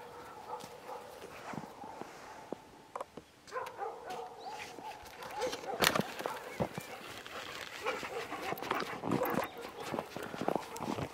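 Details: Jindo dogs, two of them, out on a walk through overnight snowfall in the countryside in winter with a boy; steady, tonal, whining notes held at a fairly even pitch, mixed with crunching footsteps and scattered knocks.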